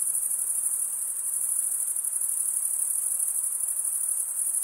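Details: Crickets chirping at night in a summer forest: a steady, very high-pitched shimmering trill from many insects, continuous with a faint rapid pulse and no pauses or other sounds.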